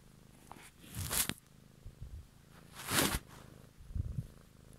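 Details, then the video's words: Close-miked domestic cat purring for an evening ASMR recording, a low continuous rumble interrupted by two loud rustling, scratchy bursts near one and three seconds and a smaller bump near four seconds. "Cat song"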